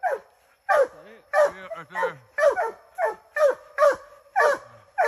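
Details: Treeing Walker Coonhound named Ranger, on his first time in the woods alongside Willie, giving loud, harmonic barks that bawl and drop in pitch. The barks repeat roughly every half second in an uneven series, with a brief lower voiced sound between them.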